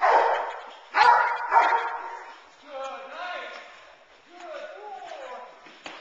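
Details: Young Boerboel bitch Teal, nine months old, in protection training off the sleeve: three loud barks in the first two seconds, followed by a low human voice talking.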